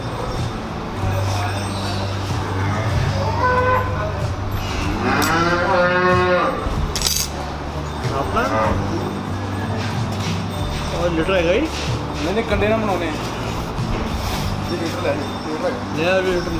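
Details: Cattle at Sarab Cheema Dairy Farm, Village Bajaj, Jalandhar district, Punjab, lowing in drawn-out harmonic moos around the middle and again later, over a steady low engine-like hum with some voices in the background.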